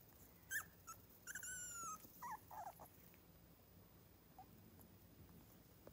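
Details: A few brief, high squeals and one longer falling whine from young miniature schnauzer puppies near Radisson, Saskatchewan, aged three weeks, fading into quiet background hiss after the first three seconds.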